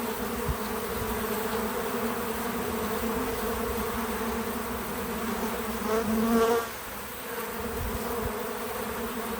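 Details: Bees at a feeder outdoors on a small farm: a continuous droning hum of wings, with one bee passing close and loud near the end before the buzz drops back to a softer background hum.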